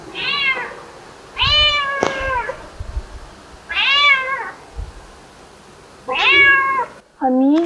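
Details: A British Shorthair cat, a green-eyed female, meowing indoors at home: four drawn-out, harmonic-rich meows spaced about two seconds apart, each slightly falling in pitch, with a person talking quietly in between.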